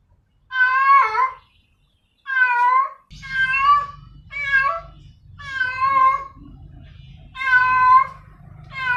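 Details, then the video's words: Female domestic cat calling for a male, giving long wavering meows with strong harmonics, about one per second, while a low steady rumbling hum fills the background from the third second onward. "sound of a female cat calling a male cat"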